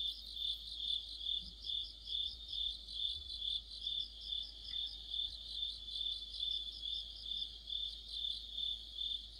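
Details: A deepening autumn soundscape of crickets and fellow insects: a dense, high, ringing chirp chorus pulsing evenly around twice a second. Occasional soft low thumps sit in the background.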